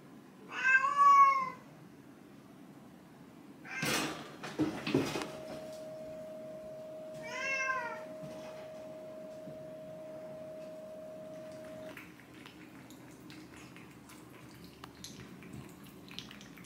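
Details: Pet cats Chai, an orange tabby, and Sushi, a silver mackerel tabby, wait in a cage at home while Churu for AIM treats are mixed. Two loud, arching harmonic meows come several seconds apart, with a metallic rattle and a long steady tone between them.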